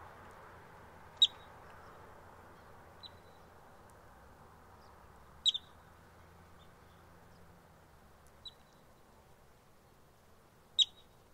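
A yellow-bellied marmot gives sharp, high alarm chirps every few seconds to warn others of danger.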